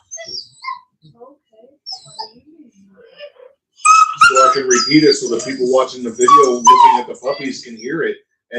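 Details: Cane Corso (Italian Mastiff) at an AKC breeder an hour west of Nashville, Tennessee: quiet scattered squeaks, then about four seconds of dense, high, wavering whines and whimpers overlapping one another, with a few sharper yelps.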